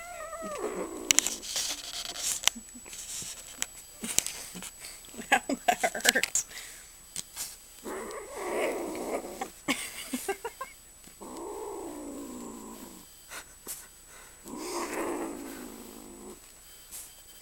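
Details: Kitten named Kiki, very protective of anything given to her, especially food, growling over it: rough, drawn-out growls in several bursts of one to two seconds in the second half, with clicks and rustling handling noises between them.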